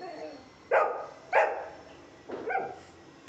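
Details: Golden Retriever answering the speak command during training with two strong barks in quick succession, then two weaker, shorter barks, and quiet talk underneath.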